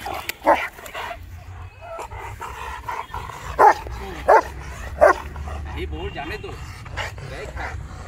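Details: Rottweiler giving aggressive barks, a few sharp single barks spaced under a second apart amid people talking nearby.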